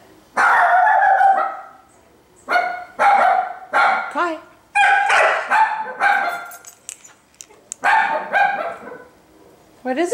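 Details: Female Siberian husky howling with urgency to get outside after a two-day move with no exercise: about seven loud, wavering, harmonic howl-yowls, some bending up and down in pitch, separated by short pauses, with the owner speaking nearby.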